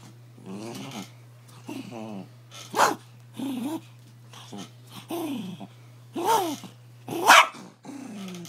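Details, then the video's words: Pet dog growling while its owner teases it indoors; a run of low rumbling growls rising into sharp, harsher snarl-barks around three, six and seven seconds, with a steady electrical hum beneath. "Demon dog"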